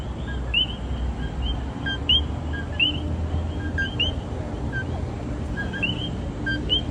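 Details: Common coquis in San Juan, Puerto Rico, call a sharp two-note 'co-kee', the second note rising and higher, over a low background rumble.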